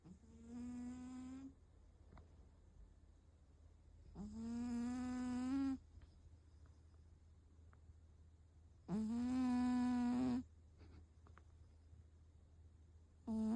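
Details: Hotate, a rescued 7.8 kg former boss cat, sleeping and snoring loudly during a remote meeting: three long, droning, harmonic snores, each about one and a half seconds, about every four and a half seconds over a steady low hum.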